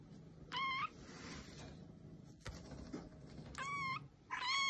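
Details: Domestic cat meowing to attract other cats: three short arched meows near the start and end, separated by a stretch of quieter background hiss and low rumble.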